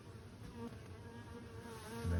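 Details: Roughly 20–30 million honey bees in 1,352 hives inside a Canadian beekeeper's winter shed make a low, steady, roaring drone that swells louder near the end.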